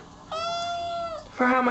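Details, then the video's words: Cat meowing: one long, steady, drawn-out meow with a falling tail, quickly followed by a second, louder and harsher meow. "Little kittens meowing and talking"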